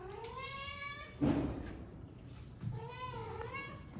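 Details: Kitten at play, one of a Persian and an Indian kitten, giving two drawn-out meows: a first rising then falling over about a second, a short pause with a thump, then a second wavering meow.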